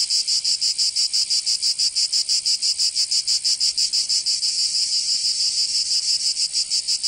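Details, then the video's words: Cicadas singing in summer in Provence, southern France: a dense, high, rasping buzz pulsing about three times per second in a steady, even rhythm, with no other sounds. "Canto Cigarra 🦗 [ Escuchar les cigarras en verano 10 H]"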